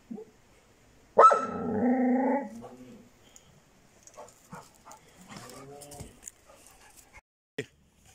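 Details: Bitzer, a Šarplaninac puppy aged six months, gives one drawn-out harmonic bark that slides into a whining tail over a second or so, then faint rustling and distant murmurs follow.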